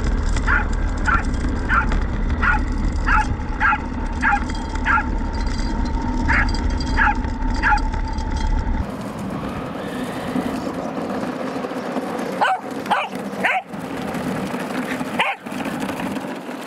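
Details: Roku the Welsh Corgi, out with a radio-controlled car pulling a field cart on a test drive, lets out a run of quick, evenly spaced yelps for about nine seconds, then the yelping gives way to rustling, clattering and scattered faint cries.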